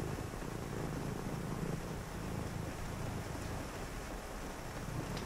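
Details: Rainy-night scene with a cat purring during quiet reading; a low, pulsing rumble is clear at first, then fades under the broad hiss of rain.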